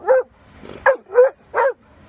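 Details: Pet Chocolate Labrador Retriever giving vocal reminders to go home from work: four short, sharp, yappy barks spaced roughly half a second apart, with faint room noise between them.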